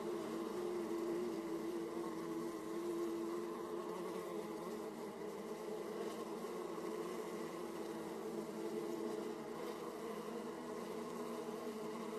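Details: Many honey bees at hive entrances in Austria, 31 March 2014 at 18°C, make a steady, dense, low droning hum without pause.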